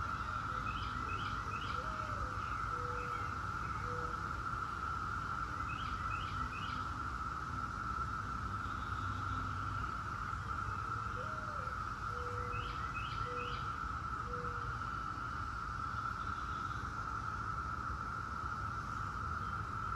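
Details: A massed chorus of 17-year periodical cicadas (Brood X) makes a constant, even whine that never pauses, with bursts of birdsong, a low whistled call and faint distant traffic rumble.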